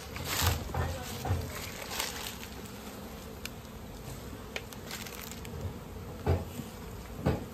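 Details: Swarming honey bees at a village in India while natural honey is being collected, a dense low buzzing drone broken by occasional knocks and brief handling sounds.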